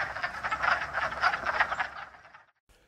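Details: Breeding chorus of wood frogs at a Massachusetts vernal pool. Dense, overlapping clucking croaks run continuously for over two seconds, then stop abruptly.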